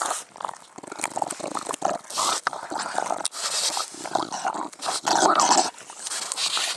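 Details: Dog from a mastiff-family group of English bulldog, bull terrier and American bully, panting in irregular breathy bursts with short gaps, noisy and broadband, some huffs louder and longer than others.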